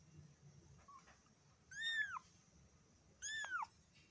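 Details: A black kitten gives two clear, high meows about a second and a half apart, each sliding up and then curving down, over a quiet room with a faint hum.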